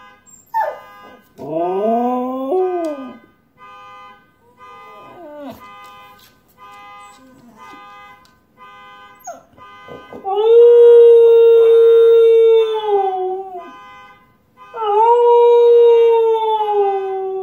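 A husky howls in long, wavering, slightly falling tones over the steady electronic tones of a car alarm.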